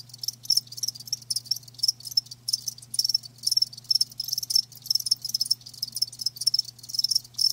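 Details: Live crickets giving sharp, high-pitched chirps in short pulsed bursts, several per second, layered from multiple insects over a faint steady low hum.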